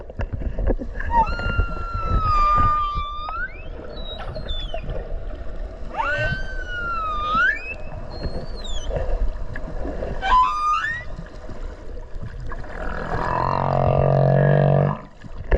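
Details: Whale heard underwater off Okinawa, recorded close by during a swim: sliding, whistled cries that dip and climb, a few short squeals, then a long, buzzy low drone near the end, over steady water noise.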